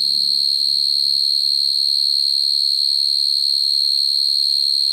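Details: Male-style calling of a field cricket to draw females at night, used to lure crickets into traps: a constant piercing trill with quick regular pulses, with a soft low murmur in the first second and a half.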